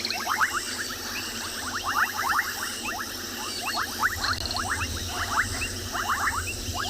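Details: A dense chorus of bubbling kassinas gives short, liquid popping notes mixed with painted reed frogs at a dam water point at dusk in summer, 21 January 2021, South Africa.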